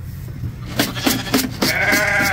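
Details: Sheep being loaded onto a homestead as the snow starts to melt; a drawn-out, wavering bleat with a rich, buzzy tone fills the second half, after clattering knocks and a person coaxing the animals along.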